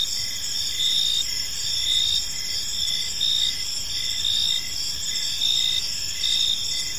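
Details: Evening in a peaceful park, crickets keep up a dense chorus of shrill pulsing chirps, overlapping callers forming continuous high bands over faint low rumble.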